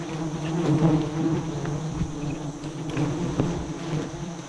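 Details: Droning hum of a giant honey bee colony during a harvest of a high nest, about 40 metres up, yielding around 100 kg of honey; a continuous low buzz that swells and fades slightly, with faint clicks.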